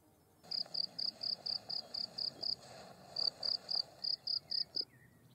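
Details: A field cricket (Gryllus campestris) sings a steady series of bright, pure chirps, about four each second.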